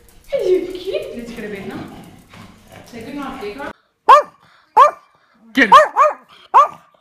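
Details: Pet Yorkshire Terrier, one of three small house dogs, lets out five short, sharp, high yaps in quick uneven bursts after a stretch of a person speaking softly.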